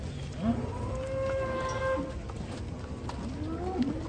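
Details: Huge fattened cattle being loaded onto a truck: one long, steady, level moo holds for about a second, rich in harmonics, with brief voices and handling noise before and after.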